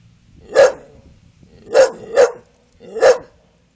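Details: English Bull Terrier barking on command after its owner says a cue phrase, a playful trick with its tail wagging; four sharp, loud barks spaced irregularly over a few seconds in a quiet room.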